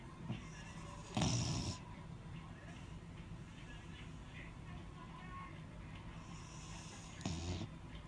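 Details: Snoring Beagle: two noisy, raspy half-second breaths about six seconds apart, the first louder than the second, over faint low room hum.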